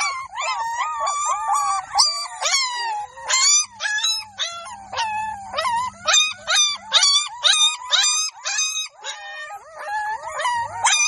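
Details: Several Golden Labrador puppies in a village yelp almost without pause, piercing whiny squeals that rise and dip, overlapping in a busy chorus at roughly two cries per second.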